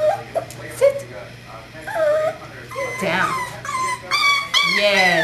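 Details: Five-week-old puppy, born 5 December 2011 in its mother's fourth litter, recorded 13 January 2012; high harmonic whines and yips, some rising and bending, in short bursts over nearly continuous human speech and a steady low hum.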